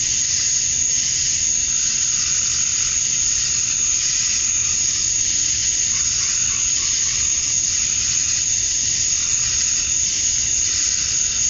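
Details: Summer-night cicadas in Georgia, USA, males chorusing at dusk to draw females: a thick, sizzling high-pitched buzz with gentle rolling surges, continuous and without breaks.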